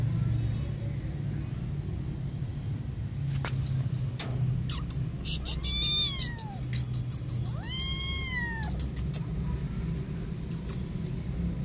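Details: A kitten caught in a net by a road lets out two long, loud meows in the middle, each arching up then falling away, amid rumbling traffic, clicks and scuffling.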